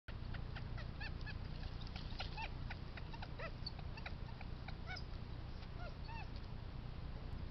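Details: Coyote happy talk: a rapid, excited chatter of short high yips and quick rising and falling squeaks, several overlapping, over a constant low rumbling background noise.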